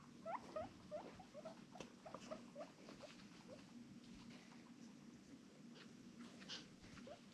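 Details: A normally quiet female guinea pig in a loud, excited mood gives short, bright squeaks in quick bursts, then fainter chirps over a low indoor hum; her noises include soft wheeking, rumblestrutting purring and teeth chattering.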